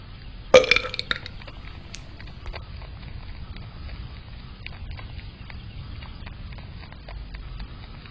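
A groundhog lets out a single loud, gurgling burp lasting under a second. The rest is near silence with only faint room noise and a few soft clicks.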